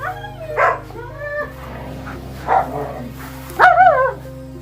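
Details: Excited German Shepherds out on an autumn walk; short whining yips and barks rising and falling in pitch, several in four seconds, over a steady background tone with music.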